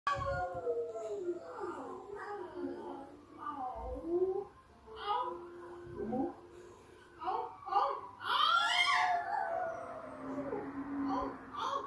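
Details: French Bulldog Haru howling as it plays on a TV, waking Peppa the English Bulldog, who reacts indoors. The howls are drawn out, wavering and rising and falling. A sharper, higher cry breaks in near the end.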